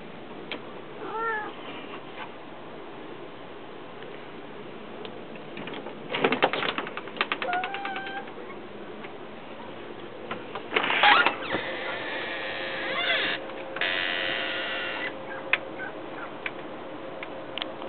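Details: Pet cat trying to get outside, giving a few short, bent, harmonic meows early and midway, amid sharp clicks and scratching sounds, bursts of broad rustling noise, and a steady low hum.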